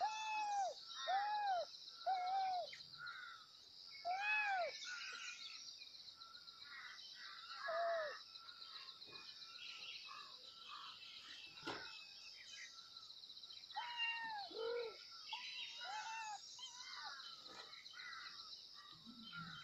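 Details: Kittens meowing loudly for their mother: a string of arched, high, wavering meows repeated in irregular bursts, several in quick succession, then a pause and more, over a steady bed of chirping insects and birds.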